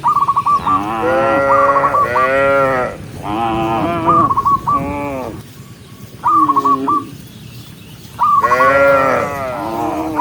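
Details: Tame cattle herd walking together along a countryside path at sunset, mooing to call other cows home: several long, deep, harmonic moos in overlapping bursts, with quick runs of sharp whistled notes between them and a quieter pause midway.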